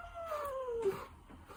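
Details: A gentle, friendly Ragdoll cat gives one clear meow lasting under a second: a tonal, slightly nasal cry that slides steadily downward in pitch, in a quiet room with faint low background hum.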